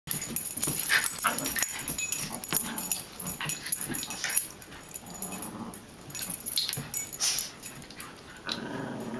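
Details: Two pet dogs playing together at home, a rough stream of snorting, panting and rasping growl-like bursts with scuffling thumps, busiest in the first five seconds and again near the end.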